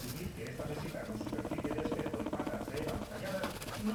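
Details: Pet female guinea pig purring while being massaged on her pillow; a quick, pulsing low rumble repeats rapidly and evenly, with faint rubbing and rustling of handling in the background.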